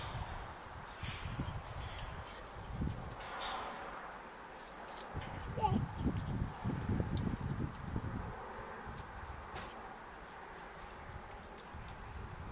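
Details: Young female pileated gibbon at the Gibbon Conservation Center in Santa Clarita, California, eating yellow apples, a favourite food: irregular crunching, chewing and wet smacking noises in quick succession, with faint rustling around.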